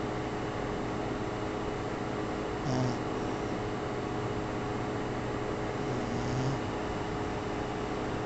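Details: Griffon, a pet dog, snores while asleep: two soft, low rasping breaths about three and a half seconds apart, each with a faint airy hiss, over a steady low electrical hum.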